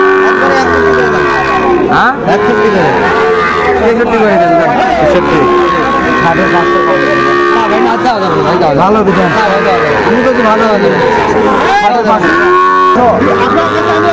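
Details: Repeated lowing from Sahiwal breed bull calves at a crowded Bangladeshi market in Cumilla, moos swelling and fading through continuous human speech and market bustle.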